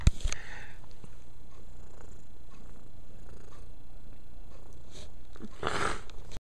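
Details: Mia, a pet cat, keeps up a continuous low, even purr as she grooms, ending with a brief broadband rustle or lick near the close.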